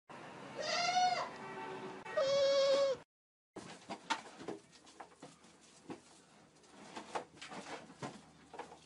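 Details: Nanny goat hiding from an attacking ram: two loud, wavering, nasal bleats about a second apart, then a brief silence followed by clattering knocks and scuffling noises.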